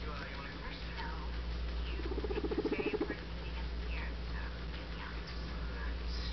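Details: Pet guinea pig Guinea Weasley, adopted, lets out one vibrating, rapidly pulsed burst around a second long amid faint scattered high squeaks and soft background voices, all over a steady low hum.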